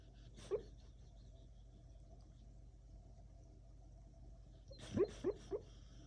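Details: Sleeping dog dreaming indoors, giving a single short muffled whimper, then a quiet pause before a cluster of three quick, soft yelping whimpers in close succession near the end, over a steady low hum in a small room.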